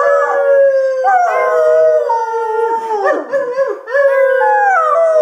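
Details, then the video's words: Labrador Retriever howling along with loud music at home: continuous wavering howls with stepped pitch changes, a brief rougher break midway, then a fresh rising howl that slowly descends. "Sing along with Lester the Labrador.."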